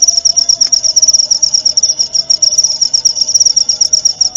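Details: Clear cricket song from a training track meant to teach murai batu shamas, played every night and at dew time; a shrill, fast-pulsing high trill continues without pause over a soft background hum.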